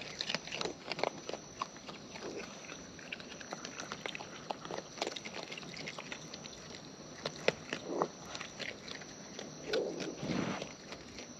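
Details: Eating wild raccoons heard close by, giving repeated wet smacking and crunching chews in quick clusters, with a few softer rustling swells near the end.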